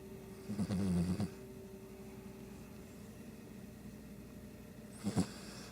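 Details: Sleeping Shih Tzu snoring: one long rumbling low snore near the start, then a quiet stretch and a short snort near the end, over a steady indoor hum.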